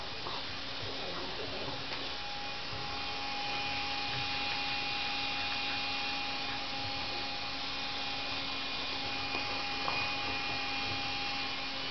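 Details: Only a steady electrical hum with a faint droning motor tone and a few light clicks is heard, with no animal voice.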